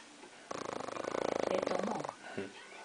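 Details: Sleeping dog that briefly wakes and keeps snoring: one long, rattling, fluttering breath lasting about a second and a half, followed by a shorter, softer snort.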